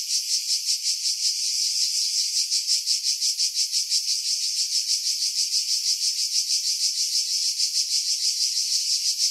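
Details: Skiros Island cicadas in July 2018, pines above Pefkos Bay, Greece: loud sizzling high-frequency chorus with fast, somewhat uneven pulsing close to three beats a second, no other sounds.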